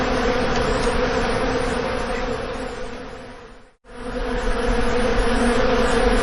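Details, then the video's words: Bees buzzing in a steady, dense drone with a strong low hum; the sound dips briefly to near silence partway through, then resumes at full intensity. "Bee's Buzzing"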